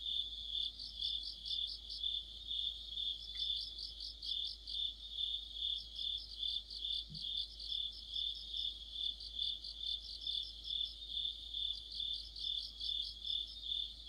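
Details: Autumn chorus of crickets and other insects, heard near a streetlight: a steady high ringing trill overlaid with rapid pulsed chirps repeating about twice a second, several singers overlapping, with a faint click or two.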